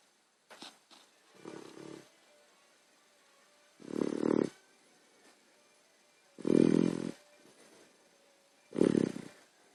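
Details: Sleeping puppy snoring heavily indoors: harsh, rasping snores in four loud bursts about every two to three seconds, each lasting under a second, with quieter breathy rasps between and near silence otherwise.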